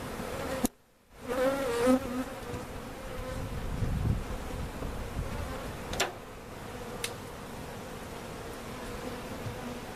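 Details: Honey bees removed in a cutout and placed in a permanent hive at Jerome Bee Farm in Central Oklahoma: after a brief silence, a bee zooms past with a wavering buzz, then the colony's even hum continues alongside a few sharp knocks.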